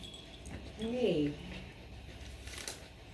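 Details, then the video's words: Grace, a female Siberian Husky, protests during grooming as loose fur is combed out; a single short wavering whine-yelp rising then falling, with quiet background talk and rustling. "grooming my husky goes wrong (she screams)"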